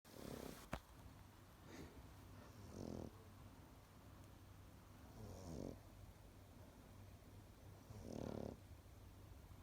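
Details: A Pekingese dog snores in slow, raspy breaths, with a rough rumble every few seconds.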